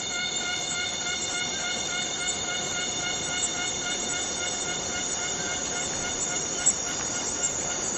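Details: A steady, buzzing-whistled drone from a Borneo rainforest cicada, with stacked harmonics holding an even pitch and volume throughout, and a single sharp click near the end.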